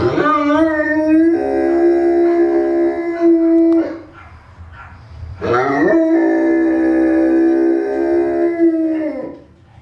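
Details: Two sustained, steady howls from a Newfoundland dog, each held for about three seconds with clear bright overtones. A brief noisy pause falls between them.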